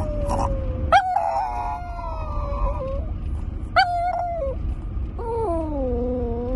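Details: Pet Chihuahua joining a howl on the morning drive home, long sliding notes that dip and waver, sudden sharp rising onsets, the last note falling lower, steady engine drone underneath throughout.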